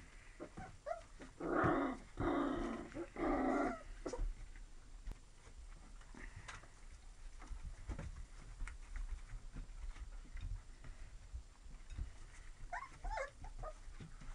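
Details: Labrador Retriever mix puppies growl in rough, noisy bursts for about two seconds, then fall to soft shuffling, with a few brief high whimpers near the end.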